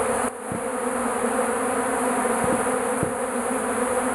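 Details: Numerous bees gathered in a shed around melting beeswax; continuous layered buzzing with a few faint clicks or taps in the background.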